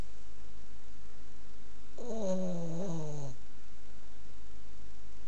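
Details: A Boston Terrier snoring loudly in its sleep. One rough, wheezing snore lasts just over a second, its buzzy tone falling steadily in pitch, with quiet background hum before and after.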